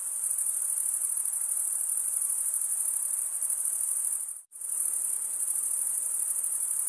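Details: Crickets chirping in a dense, continuous high-pitched shimmer that holds steady, broken once by a brief near-silent gap about two-thirds of the way through before resuming at full strength; no other sounds.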